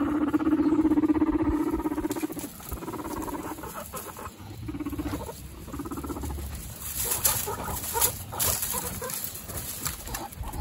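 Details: Two guinea pig brothers sparring for dominance: a loud, deep pulsed rumble opens, fading into softer rumbling bursts, then scrabbling, rustling bedding and scattered clicks as the males jostle.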